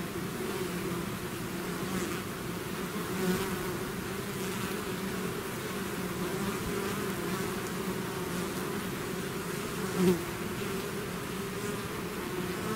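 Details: Steady hum of a bee swarm leaving its hive, constant layered droning with faint passing bees and a short louder buzz around ten seconds.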